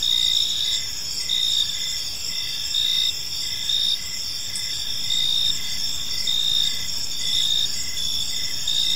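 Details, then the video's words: Evening park ambience of chirping crickets: high, sustained trills layered with rhythmic brighter pulses, swelling and easing in waves, with a light background rumble. "Cricket Sounds in a Peaceful Park"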